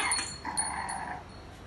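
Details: A white female French Bulldog puppy, 46 days old, gives a brief, high, tonal whine after a couple of short yips.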